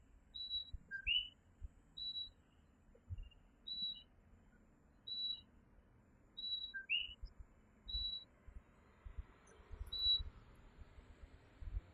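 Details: Coquí tree frogs calling at night in Puerto Rico: a low note jumping to a higher rising whistle, co-kee, heard twice. Short high tonal pips repeat about every second and a half, over a faint low rumble.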